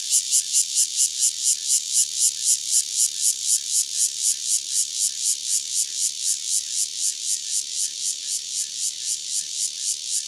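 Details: A single Cryptotympana takasagona cicada near Dona village, Kaohsiung County, Taiwan, gives a harsh, high buzzing song pulsed about four times a second. It fades slightly over ten seconds, with no other sounds.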